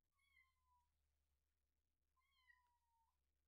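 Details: Rescued kitten about a week old, one of two named Terra and Towa, mewing during a feeding: two thin, faint, slightly falling cries, each under a second and about two seconds apart, over a steady low hum.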